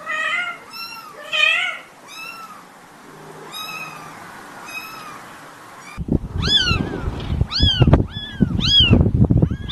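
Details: Baby kittens meowing in a compilation: rapid series of thin, arched mews, then a noisier stretch with rumbling and handling sounds under quick repeated cries.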